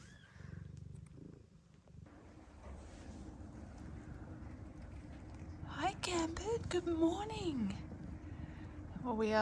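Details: Blue bicolour Ragdoll cat Gambit, newly delivered of five kittens in Australia, purrs softly in a low continuous rumble. Partway through, a woman's voice and thin wavering newborn kitten cries rise over the purring.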